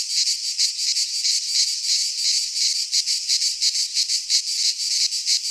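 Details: Cicadas singing in midsummer in a Greek pine forest: a dense, high, hissing buzz with fast pulsing throbs, steady and continuous throughout, no other sounds.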